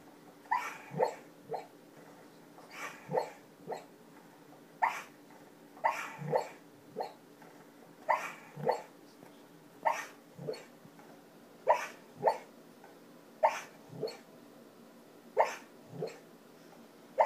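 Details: Three-year-old female Border Collie, a deep sleeper, barking very lightly while deeply asleep indoors; short muffled woofs come in pairs and clusters roughly every second or two, with a steady faint hum underneath.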